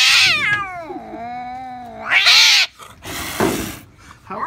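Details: A 16-year-old house cat that cannot stand its owner's son lets out a sliding meow that dips low and then rises into a harsh, loud yowl, followed by rustling noises.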